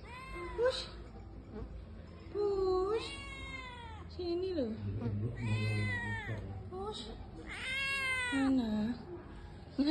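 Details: Village kitten left outside in the heat, meowing as it searches for its mother; four loud, drawn-out, wavering meows rise then fall, with a woman speaking softly and calling to it in between.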